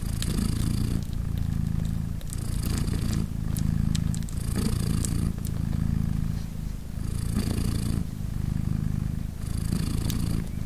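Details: Deep, rumbling purr from a British Shorthair mother cat nursing three newborn kittens, three days old, throughout, in regular breath-by-breath cycles of about two seconds, with faint soft rustles.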